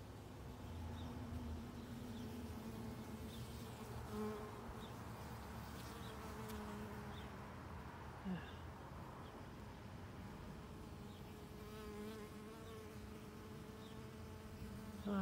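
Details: Worker honey bee busy among white Rose of Sharon blossoms outdoors, its buzz rising and fading in pitch as it moves, with scattered faint bird chirps and light rustling behind.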